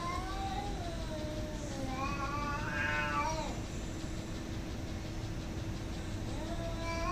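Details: Cats fighting and hostile toward each other; drawn-out wavering yowls rising and falling in pitch, one climbing to a strained peak midway, over a steady low hum of background noise.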